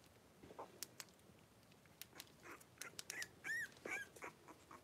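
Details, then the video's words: Litter of five three-week-old blenheim Cavalier King Charles Spaniel puppies at play in a pen; clicks and patter of paws at first, then short high arched yelps and squeaks clustering toward the end. "3-Week-Old Cavalier Puppies Wrestle and Play Live"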